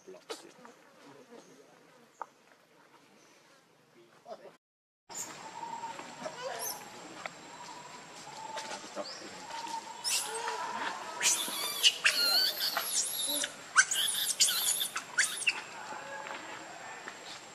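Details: Baby monkey named Lucie, a pitiful little one, breaks into loud, harsh, shrill screaming cries in several rapid bursts during the latter half, after a quiet start with faint rustling and low background noise.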